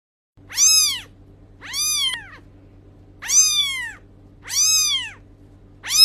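A kitten gives high, thin meows, each arching up and down, repeated about every second and a half.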